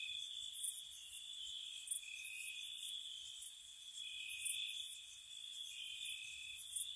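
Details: Spring night cricket chorus by a cottage, constant shrill trilling with alternating pulses from separate callers and clustered brighter chirps roughly every second.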